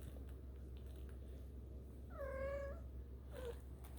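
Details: One 4.5-week-old kitten out exploring lets out a single drawn-out, level mew of about half a second, followed by a brief clipped squeak, over a steady low room hum.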